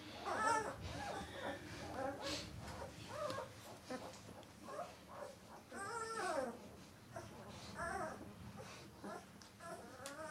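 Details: Thirteen-day-old White Swiss Shepherd puppies give high, wavering whines and squeals in overlapping bursts. Some rise then fall, others slide downward, coming nearly continuously through the whole stretch.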